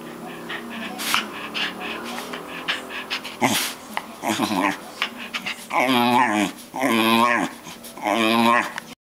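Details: White terrier dog crying, a drawn-out whining wail in three long harmonic pulses near the end, each about a second, following scattered shorter whimpers and breathy sounds.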